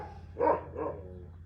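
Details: At an animal shelter on 2 April 2026, dogs some way off give two muffled barks, the first louder, under half a second apart, over a steady low hum. They are barking at something outside, not at bombing.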